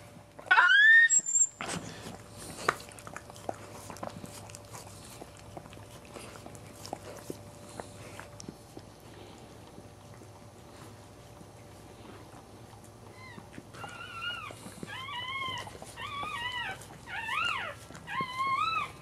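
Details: A newborn Cairn Terrier puppy, the fourth of the litter, gives a sharp rising squeal during the birth, then a run of thin, wavering squeaks.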